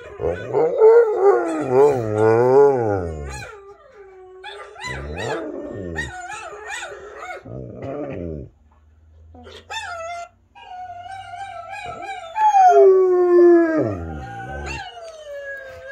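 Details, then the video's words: Rottweiler named Mylo joins other howling dogs: quavering, wavering howls in short bursts with gaps, a quiet low hum midway, then a final sustained howl and a descending tail. "Rottweiler Howling"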